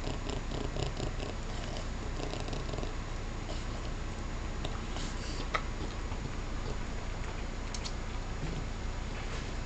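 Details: Pet cat eating sorbet and purring, a constant low throbbing rumble with no breaks, topped by soft scattered clicks and lapping noises, recorded in a quiet room.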